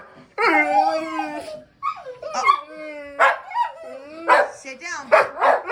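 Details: Pet dog making a string of sustained, howl-like whines that bend up and down, followed by short sharp yips and barks in quick bursts, with a person speaking nearby about a treat.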